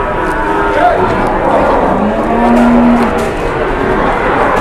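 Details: Cattle lowing at a crowded cattle market: a short rising call, then a steady low moo held for about a second. Constant crowd and vehicle noise runs underneath.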